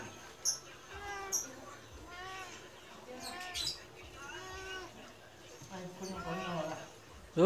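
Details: Medium Persian cat meowing to beg for food just after being fed, acting almost angry; five drawn-out, rising-then-falling meows come roughly every second, with a woman's soft voice calling between them.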